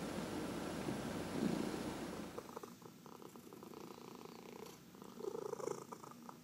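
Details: Domestic cat purring while being massaged, one of four pet cats indoors; the opening seconds carry a rougher rustling noise, then a soft, steady, low purr pulses on with gentle swells in loudness.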